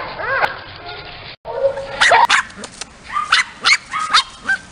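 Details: Small dogs at a breeding kennel in Aquitaine, France, giving high whining whimpers with arching pitch, a brief pause, then clusters of sharp, repeated yelps and yips.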